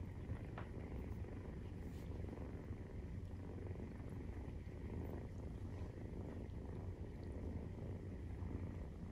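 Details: Maine Coon nursing purr, kittens 43 days old; a continuous low vibrating rumble of steady loudness, with a faint short click early on and gentle room noise underneath.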